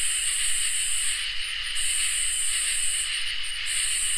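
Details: Summer night chorus of crickets and katydids: steady high shrill trilling bands overlapping, with a higher pulsing layer switching on and off every second or so, continuous and even, no other sounds.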